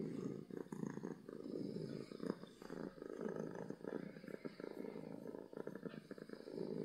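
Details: Loud purrs from a happy domestic cat, an even low vibrating drone with rhythmic rises and falls as it breathes in and out.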